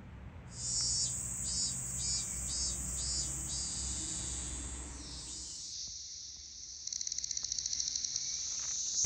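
A periodical cicada sings a high, shrill buzz held almost without a break. The drone throbs in quick pulses near the start, drops slightly in pitch midway, then breaks into rapid ticking pulses before it ends.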